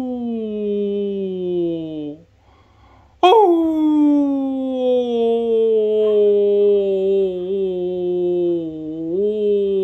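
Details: A female Labradoodle, a large dog born December 2018, howls in long, low, slowly falling tones in answer to a person howling in front of her.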